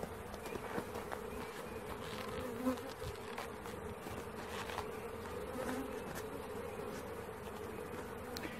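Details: During the catching of a honey bee swarm, a constant layered buzzing with occasional sharp taps and one louder thump early on.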